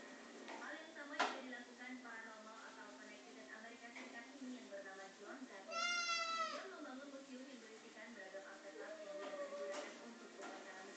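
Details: Indoors with Pulpy, a male pet cat playing wildly with a mop, one clear, nasal meow rises and falls midway, surrounded by ongoing human chatter and light room noise.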